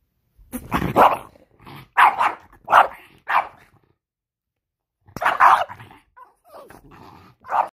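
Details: An angry French Bulldog gives a string of short, harsh, gruff bursts: four quick ones in the first few seconds, a pause, then a louder burst and softer grumbling sounds trailing off.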